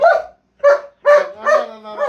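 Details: German Shepherd barking: four loud, rough barks spaced about half a second apart, the later ones stretching into a tonal, whining tail.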